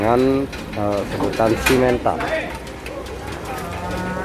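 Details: Agitated cattle at the Masbagik animal market in NTB, Indonesia: a low, harmonic moo opens, broken by people's voices and market bustle, then a long, steady low moo drags on toward the end.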